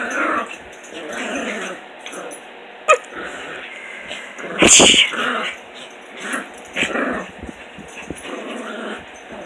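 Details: Puppies at playtime in the morning, giving rough growls and snarling bursts over several seconds, with one sharp, loud yelp-like burst midway and quieter household noise between.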